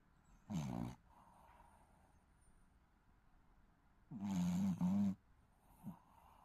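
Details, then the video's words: Snoring Shih Tzu puppy asleep: one brief, coarse snore, then after a pause a longer double snore that rises and falls, followed by a faint snort. "시츄 코골이 아가"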